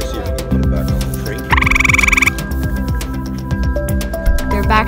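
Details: Grey tree frog encountered while camping, producing one short melodious trill of rapid pulses lasting under a second, set against rhythmic background music.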